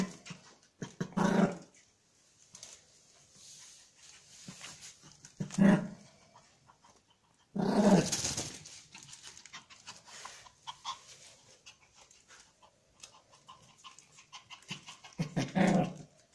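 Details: Pomeranian spitz puffing and growling because it wants to take something; short breathy low huffs and growls burst out near 1, 6, 8 and 15 seconds, with quieter snuffling between them.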